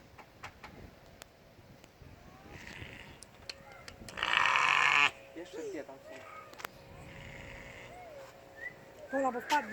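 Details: A goat at Milton Keynes Zoo, where goats stand on a small mountain, gives a loud, harsh bleat amid the chatter of visitors.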